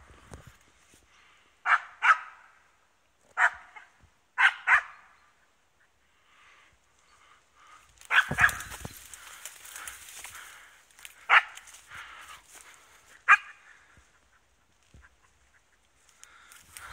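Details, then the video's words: East Siberian Laika on wild boar, barking in spaced single and double bursts at some distance, with a loud rustling crash of movement through cover midway and quieter background noise. "East siberian laika on wild boar"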